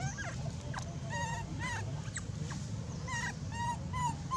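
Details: Abandoned young monkey crying loudly; repeated short, high, wavering squeals and whimpers, several per second, over steady low-pitched background noise with faint speech.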